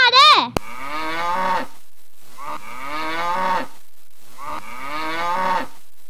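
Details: A cow mooing three times, each moo a long, low, harmonic call of about a second with short pauses between. A brief high, wavering whistle-like sound comes just before the first moo.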